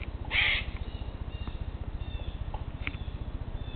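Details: Eastern grey squirrels calling between separate trees during a territorial dispute: an opening loud harsh screech, then faint short scratchy notes, all over a steady low throbbing background hum.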